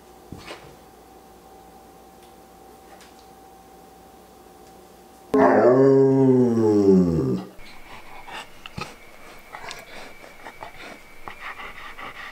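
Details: Wallace, a pet Old English Sheepdog, voices his thoughts indoors with a sudden drawn-out, wavering moan of about two seconds, rich and harmonic, arching up and then sliding down in pitch. Low room hum runs throughout, with a faint steady tone afterward.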